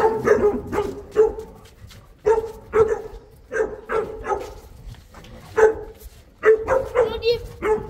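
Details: Boerboel, a South African Mastiff living in Egypt, barking repeatedly in short, resonant bursts, often in pairs and spaced irregularly, with some overlap near the end.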